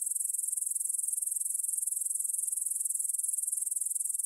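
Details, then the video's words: Evening stridulation of grasshoppers in a field beside Bryansk's Svensky monastery, Russia, at 9pm on September 6, 2020, recorded with a Tascam DR-44WL in stereo. A high, sizzling chorus throbs in quick, even pulses, with nothing else heard. "Звук для сна: кузнечики на лугу – Grasshopper Sounds in the Field"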